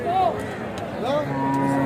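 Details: Cattle, mainly bullocks brought for sale, at the crowded Joypurhat Notun Hat cattle market on 17 February 2025; two short arched, tonal moos followed by a longer, steady lowing note, over a murmur of market background noise.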